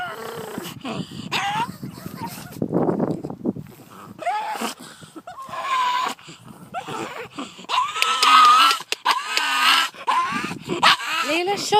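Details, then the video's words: A pug reacting to two terriers coming down the drive, giving odd wheezy whines and strained, rising yelps in uneven bursts, with some snuffling and breathy noise between calls. "Pug making weird noises"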